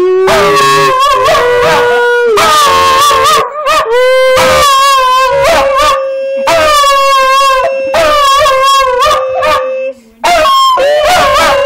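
A Schipperke sings in long, wavering, high-pitched howls, hoping for a treat.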